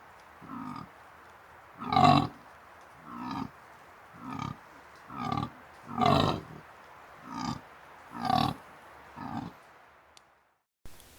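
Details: A dominant fallow deer (Dama dama) buck in the New Forest, holding his harem of does during the autumn rut (September–October), gives deep, belching rutting groans about every second.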